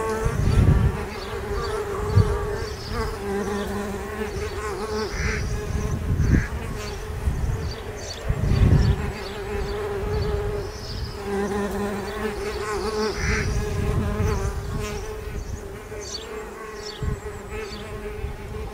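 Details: Bees hatching in spring: an even, low buzzing hum runs throughout, broken by repeated dull low thumps and rumbling handling or wind noise.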